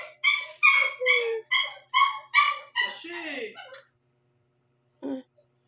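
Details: Shih Tzu puppy, one month and seven days old, barking around 12 am and waking its owner: seven short, high yipping barks in a steady run about every half second, then a pause and one last yip.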